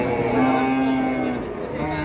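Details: Agitated cattle in Indonesia described as raging in anger, giving a sustained level moo with steady harmonics lasting over a second, amid background music and men's voices.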